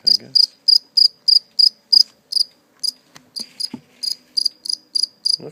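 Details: Steady high chirping from a caught live cricket, later let go, with short bright pulses repeated several times a second. A brief pause and a couple of clicks come midway, and a low voice enters at the very end.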